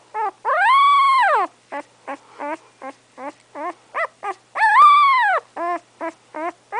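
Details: English Setter puppy Remington, roughly three weeks old and eyes unopened, lets out two long, loud, arching whining cries separated by clusters of short, high squeaky whimpers.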